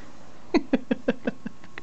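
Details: A 2.5-week-old Italian Greyhound puppy gives a quick run of seven short, low squeaky yelps, roughly one every fifth of a second. The later yelps grow fainter, with a quiet room behind them.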